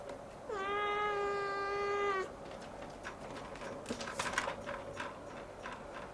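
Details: Young Siamese cat gazing at the ceiling, crying on and on: one long, steady, drawn-out meow of nearly two seconds with rich harmonics, then soft rustling and shuffling sounds in a small room.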